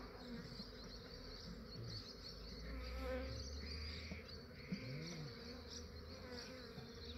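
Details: Honey bees of a massive swarm in Australia, taken early before the day warmed: busy buzzing with wavering tones over a deep rumble, a bright high hiss above and a single sharp tap midway.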